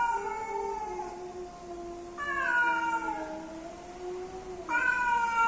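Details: Courting male and female cats: a low steady moan is joined by higher, louder wailing yowls that slide downward, then a sudden new howl breaks in at the end.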